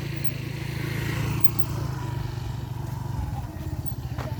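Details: A motorcycle engine rumbles loudly outdoors, with voices talking under it and no animal sound.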